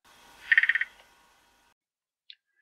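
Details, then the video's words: Threestripe croaking gourami in an aquarium; both sexes can growl, and during courtship the male leads. A burst of about six quick rasping pulses, then silence and one faint click. "Knurrender Gurami Trichopsis schalleri"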